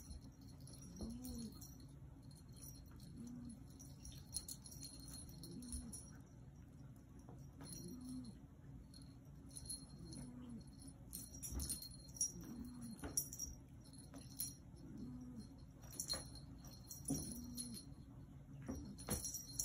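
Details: Black Maine Coon cat Yoda keeps up a soft, low running chatter of short tonal calls, one every second or two, under steady jingling and rattling sounds.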